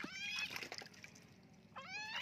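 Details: During a flea bath a young kitten gives two distressed meows, the first long and wavering amid splashing water, the second a rising then falling cry near the end.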